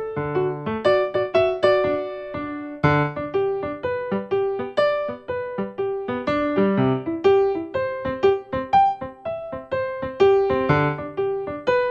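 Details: Piano music only: a bright keyboard melody over repeated chords in a steady rhythm, with no animal voices anywhere.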